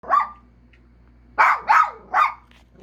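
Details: Pet dog giving short yowling barks, one near the start, then three rapid arched bursts each sliding downward in pitch, with a faint steady hum behind.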